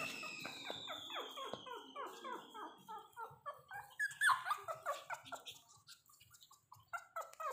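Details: Mini Pomeranian dog playing with its owner indoors, giving a rapid run of high, whiny yips and squealing barks, several each second, rising and falling in pitch, with a steady high electronic tone fading early on.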